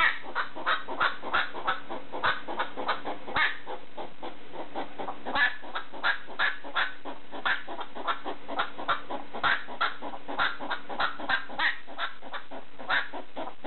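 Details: ['Pet hedgehog barking at a slipper in the middle of the night: short, rough, clucking pulses repeated about three times a second, fairly irregular, with a faint steady low hum underneath.']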